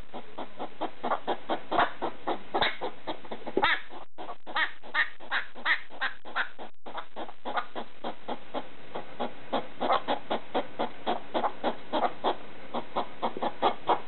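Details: ['Middle-of-the-night barking by a pet hedgehog confronting a slipper, a long run of short, raspy pulses repeated steadily with brief pauses near the start, and a soft hum beneath.']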